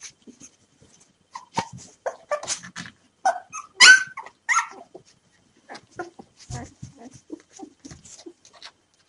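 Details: Hungry three-day-old puppies, a litter of five found abandoned hours after birth, whine before being hand fed milk: thin high squeals cluster mid-clip, with shorter faint squeaks and snuffling around them.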